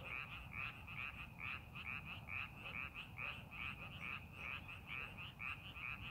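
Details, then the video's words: Chorus of frogs in a rice paddy during farming preparation: many short, high, creaking croaks stacked closely together in rhythmic bursts, with constant low-pitched background hum beneath. "논에서 개구리 울음소리"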